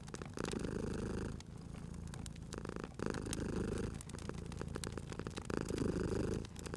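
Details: Relaxed sleeping cat by a fireplace: a rich low purr in short breath cycles roughly every one and a half seconds, separated by brief pauses, while wood crackles and snaps in the background.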